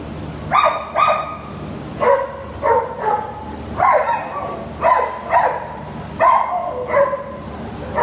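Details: Terrier offered for adoption through a shelter, barking steadily: sharp, bright barks, some paired, roughly eight within eight seconds, with no other sounds.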